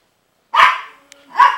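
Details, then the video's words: Two loud, raspy barks from the dog Princess, about a second apart, directed at Rocky, a pitbull puppy, on 12-08-09; each bark trails off with a brief tonal tail. "Princess Barking At Rocky"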